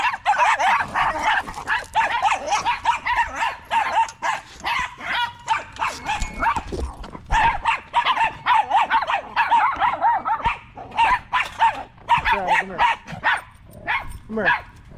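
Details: Staffordshire Bull Terriers, a group of male dogs in a park on a long evening, keep up a dense, continuous run of mid-pitched barks and yips that overlap almost without pause for the whole stretch.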